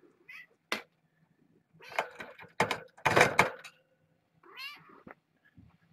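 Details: Young kittens, part of a litter born June 21 to a rescued stray mother, rushing a fence in the early evening on a live cam; short high meows, with a wavering, rising-then-falling meow near the end, amid loud thumps and rattling from cable handling.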